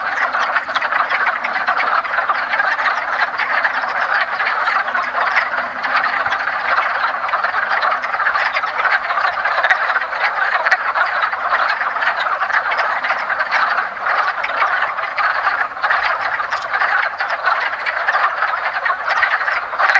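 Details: Early spring at a woodland pond, where a crowd of wood frogs gathered to mate keeps up an unbroken wall of rapid, chuckling croaks, many voices overlapping evenly for the whole stretch.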